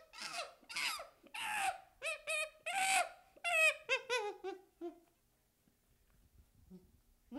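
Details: Baby chimpanzee cries with rapid harsh screams, then stepped descending whimpers that trail off into near silence with faint low sounds.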